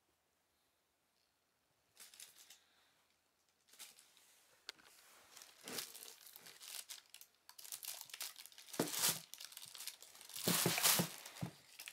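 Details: Near silence for two seconds, then indoor crinkling, tearing and rustling of paper or plastic that grows louder in bursts toward the end.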